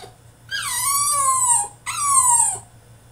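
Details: Caged male French Bulldog in a tantrum gives two loud, high, nasal whines, the first long and gently falling, the second shorter and dropping at the end, separated by a brief pause.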